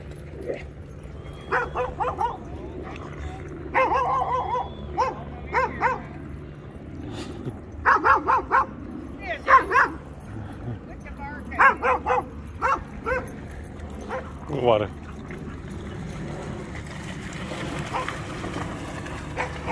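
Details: American Akita playing in water at a dog park in Orlando, Florida: a series of short sharp barks in bursts, some doubled or tripled, with a low steady background hum and distant voices.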